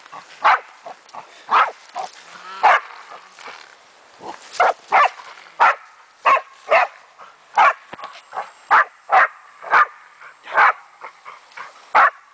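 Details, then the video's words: Meya, a German wachtelhund, barks steadily while playing with a raccoon dog, sharp clipped barks coming in quick irregular bursts, sometimes paired, with a thin steady high tone running through the later part. "Wachtel vs mårdhund"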